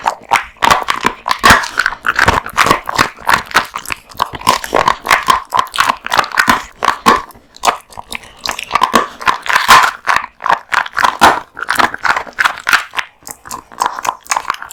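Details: Raw meat and bones crunched by Kotetsu, a big-eating male American Bully; continuous rhythmic gnawing, sharp bone cracks and wet mouth sounds with brief pauses.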